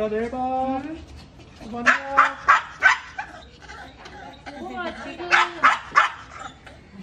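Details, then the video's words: Recovering from cruciate ligament and uterine-ovarian surgery, Maltese Dubu begs to leave with her owner: a rising whine, then two clusters of quick sharp yips with whimpering between. "엄마따라 나도 집에 갈래요😭 | 2주 면회 영상모음 | 말티즈는 참지않긔"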